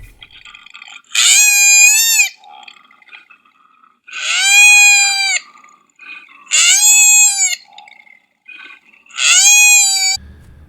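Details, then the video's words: A koala gives a distress or alarm call: four loud, wavering, harmonic-rich wails, each about a second long, separated by pauses with softer squeaks between. "the next example of a distress call or alarm call is that of a koala"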